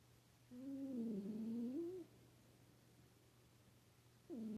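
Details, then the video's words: Snoring house cat giving one long wavering, voiced breath of about one and a half seconds, low and harmonic-rich, dipping and rising, then the start of the next breath near the end; a quiet electrical hum runs underneath. "my snoring cat!"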